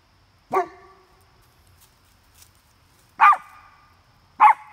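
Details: At a campsite, two dogs react to coyotes they smell nearby. Three sharp, harmonic barks land irregularly, the second and third close together, over a quiet background.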